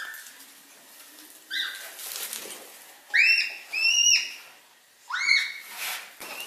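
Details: Red panda giving three high, whistled squeaks, each sliding up and then holding level with bright overtones, the last two longer, over a soft rustling, hissy background.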